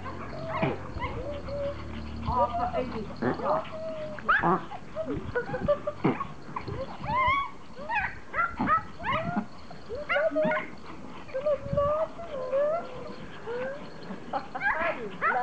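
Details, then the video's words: Several Pomeranians greet their owner returning from vacation, excitedly whining and yipping in high, arching, rapid cries that overlap and rise in bursts, with human voices talking throughout. "POMERANIANS very HAPPY to see mom"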